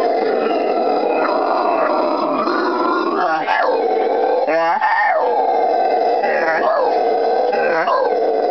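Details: Pair of howler monkeys singing near a butterfly farm outside Iquitos, Peru, on the Amazon River, in June, loud calls carrying over a mile; continuous roaring drone with rising, wavering surges and rapid pulsed bursts.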